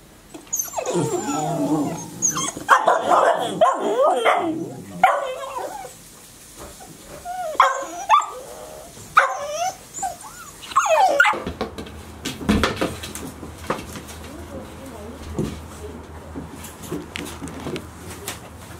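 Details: Golden Retriever puppies, 73 days old, at Ain village, filmed 7 July 2018. High, harmonic yips and whimpers come in repeated bursts through the first eleven seconds, then give way to quieter rustling and background noise.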